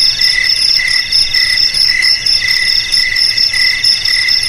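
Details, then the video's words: Shrill cricket trilling, continuous and bright, with fast pulsing and a faint rhythmic swell in loudness roughly every second. "Suara JANGKRIK Pengusir TIKUS"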